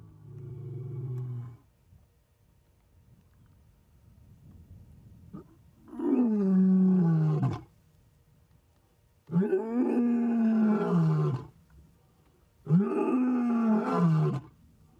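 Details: Adult male lion, about ten years old, lying in an open clearing and roaring to call the rest of his pride. A low rumble opens, then three long, deep, moaning roars that fall in pitch, each about two seconds, with quiet gaps between.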